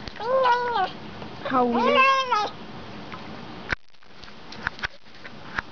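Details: Bengal cat vocalising while eating, giving loud, drawn-out meows that arch up and down in pitch, several in quick succession, then quiet with a few sharp clicks and taps.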